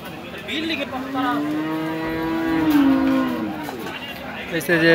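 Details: Cattle at the Hazratpur weekly cattle market in Keraniganj, Dhaka, Bangladesh: one sustained, steady low moo lasting about three seconds, with people talking nearby.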